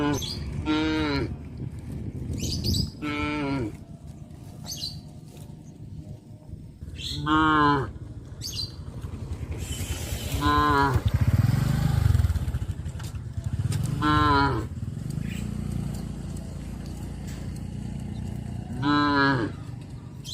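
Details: Cows calling to their friends on the road to green pastures in the countryside, released from their pens in the morning to graze. Six short, harmonic moos at irregular intervals of about three to four seconds, with a low rumble of background noise.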